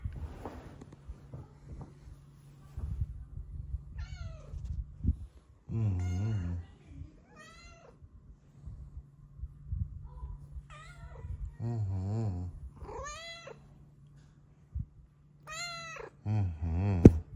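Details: In the morning, a female Snow Lynx Bengal with blue eyes, apparently looking outside, gives a series of drawn-out, wavering, happy meows over a steady low hum.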